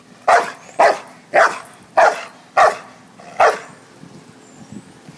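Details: Pet dog giving six loud, sharp barks spaced roughly half a second apart, then falling quiet with faint background hum.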